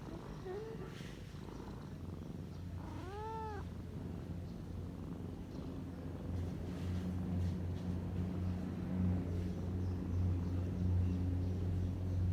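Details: A kitten sleeping and relaxed purrs in a steady, low rumbling rhythm that grows louder after about six seconds, with a short soft mew early on.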